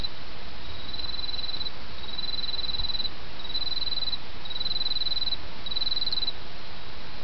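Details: Autumn insects calling beside a babbling brook: five high, thin trilled bursts, each roughly half a second long and spaced about a second apart, ride over a steady rushing wash of stream water.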